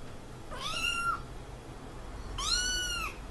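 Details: Scolded house cat letting out two short, bent meows about two seconds apart over a soft, steady background hiss.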